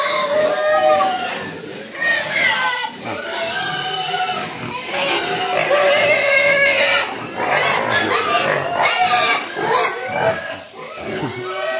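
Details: Several hungry domestic pigs begging for food, squealing almost without pause: overlapping harmonic squeals and wavering cries, some rising and falling, over a dense background of grunting.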